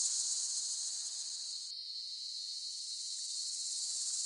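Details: Cicadas singing in a steady, dense, high-pitched buzz that holds without pause, with a brief dip in the upper tone partway through before the drone resumes.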